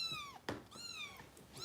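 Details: Foster kitten in Los Angeles being bottle-fed, giving two drawn-out descending meows separated by a sharp knock, with a woman speaking softly nearby.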